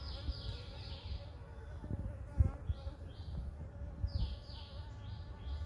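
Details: Front-yard blue-banded bee humming steadily beneath repeated short descending bird chirps, with a few thumps and low background rumble.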